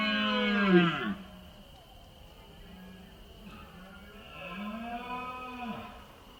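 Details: Red deer stag roaring during the September rut in the mountains of Spain: a loud, hoarse bellow that drops in pitch, then a quieter, deep, arching groan a few seconds later.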